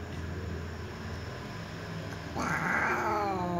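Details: Two ginger cats meowing near a door: after a stretch of low background hum, a single loud harmonic meow rises and then falls gently, lasting just over a second at the end.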